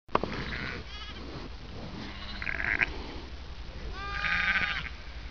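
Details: One-week-old Merino lambs playing and running in gangs in NSW, Australia. Three separate high, quavering bleats, each a harmonic-rich wavering tone under a second long. A steady low rumble of wind or background noise runs throughout.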